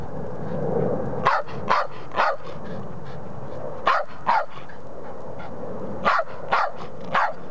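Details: Chip the Patterdale Terrier barks for the ball that is already next to him; quick staccato barks grouped in twos and threes, separated by short pauses, with a steady background rumble throughout.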